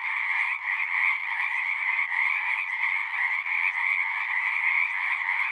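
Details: Close, loud chorus of frogs at a pasture pond, recorded with a Zoom 6; dense overlapping trills merge into a constant pulsing drone with slight rhythmic flutter throughout.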